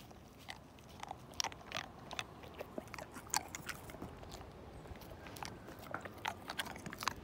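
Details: Slim, a pet Siberian Husky, chews through a whole bone: irregular crisp cracks and crunches every fraction of a second over a soft steady background, with a few louder snaps between bites.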